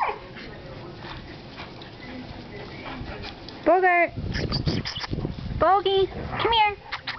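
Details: Ten-week-old Alaskan Malamute puppy playing with its mother and father in a backyard: several short, arched, harmonic yelping moans, rising then falling, in two bursts near the end, with a person calling and praising the dog.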